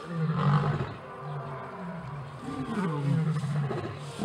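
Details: Lion pride during evening chases, the leader keeping order; loud, deep, rumbling roars, two long heavy moans with a rising swell near the start and again near three seconds.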